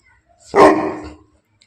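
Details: Bully Kutta dog from Bangalapudur giving one loud, deep, harsh bark that lasts about half a second and then fades quickly, with near silence before and after.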